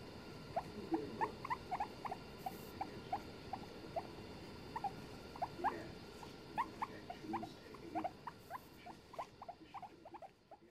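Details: Two guinea pigs on a settee in the small hours of a November 2021 night, producing a lively series of short, rising squeaks, often doubled, repeated roughly every half second over a quiet hum.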